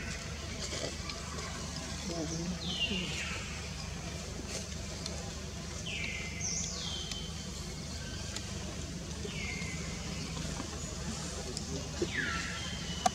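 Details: Young wild monkey Jody at Angkor Wat, Cambodia, scared during its first kidnapping, calls for its mother Jane: loud descending squealing cries repeated every few seconds over a steady low rumble of traffic and outdoor noise.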